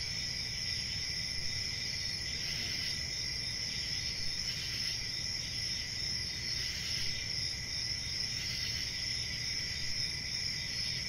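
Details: Unbroken shrill trilling of crickets with gentle periodic swells in loudness, plus a softer lower tone and faint background hum.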